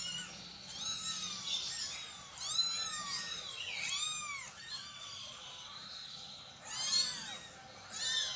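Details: Cat mews recorded as a mother cat relocates her kittens: arched, slurred cries come every second or so, some louder and longer, amid a soft hiss of room noise.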